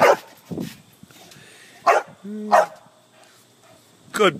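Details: Playful dog on a trampoline gives a few loud, spaced barks and one short low tonal whine, with little else audible between.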